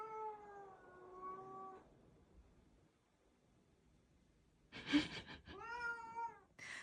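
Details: Siamese cat indoors meowing repeatedly: a long, level, slightly falling wail near two seconds, a pause, a brief thump or scuffle, then another bright, sustained meow and the beginning of a third.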